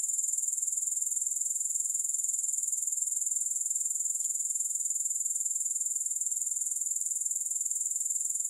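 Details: A continuous, unbroken high-pitched insect trill from grasshoppers, with no music, rapidly pulsed at about four beats per second throughout.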